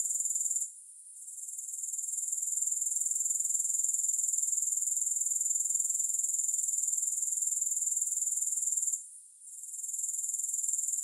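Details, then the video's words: Continuous high-pitched grasshopper trilling with a fast, even pulse. It dips briefly near the start and again near the end, then resumes at full strength. No other sounds. "Grass Hopper Sounds"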